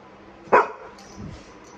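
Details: A single short, sharp bark from Golden Retriever Nero, keen to go out, followed by a faint low sound and quiet background hum.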